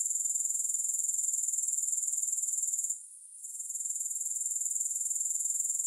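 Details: Grasshoppers give a continuous shrill, pulsing buzz that drops out briefly near the middle, then swells back to full strength. No music or other noises.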